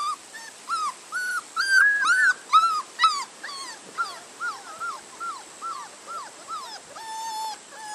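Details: Labrador Retriever puppies whimpering: a steady run of short, high whines, each rising then dropping, about two per second for eight seconds, with a louder, denser cluster in the middle and a longer, flatter whine near the end.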